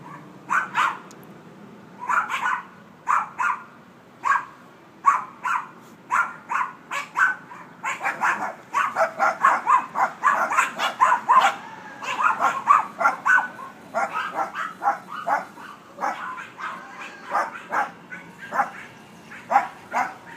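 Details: Dog barking constantly, a rapid run of short, sharp barks repeated roughly every half second for twenty seconds, bursts bunching closer together midway, with no other clear sounds.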